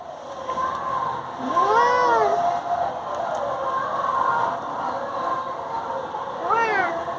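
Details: Indian pet cat disturbing sleeping people in bed, meowing: one long drawn-out meow rising then falling, followed a few seconds later by a second, shorter meow, over a steady indoor background hum.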